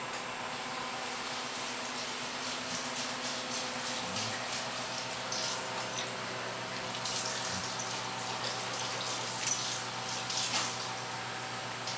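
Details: Water runs and splashes steadily indoors, like a tap or sink, over a low electrical hum, with no animal sound heard.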